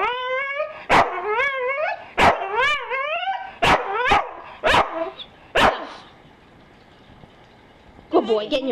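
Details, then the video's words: Staffordshire Bull Terrier, offered breakfast, lets out several rising, wobbling whines separated by crisp barks, then falls quiet before a brief final yelp and speech. "Staffy Sounds"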